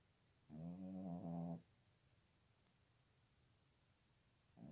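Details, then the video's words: A dog singing in the cold of winter gives one drawn-out, harmonic moaning note lasting about a second, steady in pitch, then falls silent before the start of another note at the very end; no other sounds stand out. "The Dog's Song in the cold Winter!!!"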